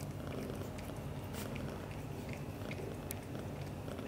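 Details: British Shorthair father cat Leo, black golden, showing affection to mother cat Mimi; a steady, low, rumbling purr runs without a break through the whole stretch, with a few faint soft clicks above it.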